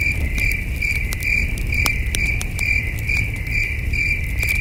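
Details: Crickets chirping in the distance at a starlit camping spot with a campfire and a cool night breeze; repeated shrill pulses, a little over two per second, with frequent crackling clicks from the fire and low rumbling noise.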